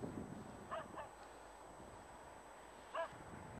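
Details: German Shepherd barking during protection training at a working-dog training school, gripping a rag and refusing to release it even when struck with a stick: a close pair of short barks, then a single bark near three seconds, over a low rumbling background.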